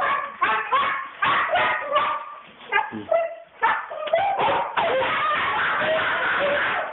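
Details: Worked-up female Siberian Husky, prone to the same outbursts on walks: rapid strings of sharp yelps and squeaky whines, then a sustained, noisy howling wail.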